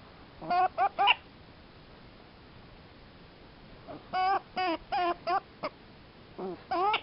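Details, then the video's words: Clipped, bright yips from one happy prairie dog, delivered in tight clusters of three to six with silent gaps between bursts, each note a short harmonic chirp. "one happy prairie dog"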